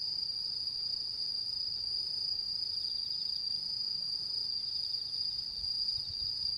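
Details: Autumn insects under the full moon of 10 September 2022 give an even, uninterrupted high-pitched trill over quiet low background hiss.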